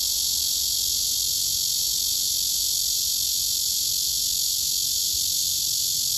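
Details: Summer cicada's courtship song, sung to attract a mate: an unbroken, shrill, hissing buzz at constant loudness throughout, with no other clear sounds.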